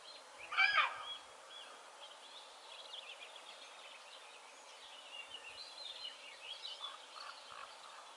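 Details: A roe deer barks once, a single harsh, broadband burst, observed on 25 May 2022 in Haute-Loire and seemingly affected by eating too many buds; faint bird calls continue in the background.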